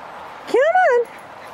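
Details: Delphi, a female Keeshond doing agility in a British Columbia forest, gives a single arched whine that rises, holds, then slides down over half a second, with faint background hiss.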